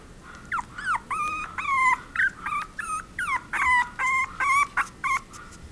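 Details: Chihuahua whimpering and whining in a rapid series of high, wavering cries, each bent up and down in pitch, about a dozen short calls in under six seconds, closely spaced with brief gaps, against a quiet background.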